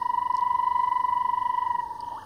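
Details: A banded rubber frog in Namibia's Erindi Game Reserve, early wet season after heavy rain, gives a steady, rapidly pulsed two-second trill to attract a mate; bubbling kassinas call distantly.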